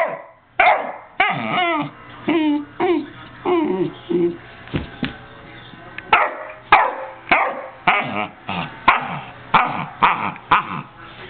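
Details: Domestic dog barking repeatedly, roughly every half second to second, some barks breaking into short yelping howls, continuing steadily for over ten seconds against a faint background hum.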